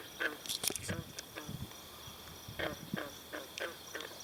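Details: Green frogs (Lithobates clamitans) chorus with short, twangy plucked notes at a pond at Brillion Nature Center, with high chirps of swallows drinking there and a steady insect hum.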